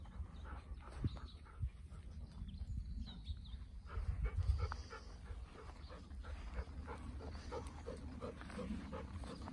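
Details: Golden Retriever outdoors in Kiribata, watching over the hand pollination of passion fruit flowers. Soft, rhythmic breaths come about twice a second, strongest in the second half, over a low rural background hum.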